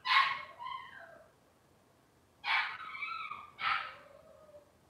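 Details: Cavalier King Charles Spaniel puppies from one litter, filmed on a kitchen livestream, give three high whining cries, each starting sharply and sliding downward in pitch, with a quiet pause between the first and second.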